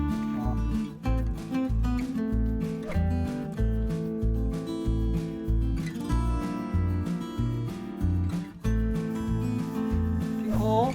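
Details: Strummed acoustic guitar music with steady rhythmic chords and plucked notes throughout, with no animal voices.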